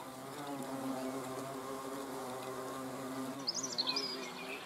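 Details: Close, full-bodied droning hum of hornets filmed on 30 June 2020, a layered buzz that holds steady and dips slightly in pitch near the end, when a short, bright bird chirp breaks in.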